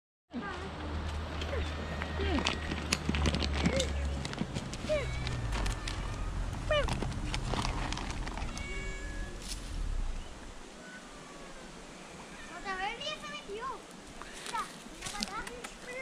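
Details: Hungry stray street cat in Adjuntas, Puerto Rico, approaching people who carry cat food; people talk over the first part, then the cat gives several short, bending meows in quick succession near the end, with outdoor background noise.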